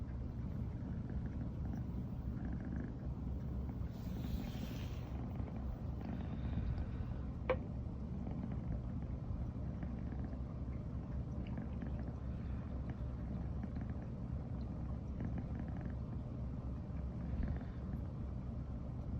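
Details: A female brown tabby American Shorthair, Riri, keeps purring all morning after first sharing a bed. The low, steady rumble runs without pause, broken only by a soft rustle and a sharp click around seven seconds.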